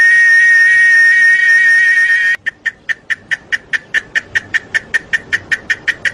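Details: Cicadas singing in Chiapas, a steady high shrill tone for about two seconds that breaks into rapid regular pulses, roughly five per second, each a sharp chirp.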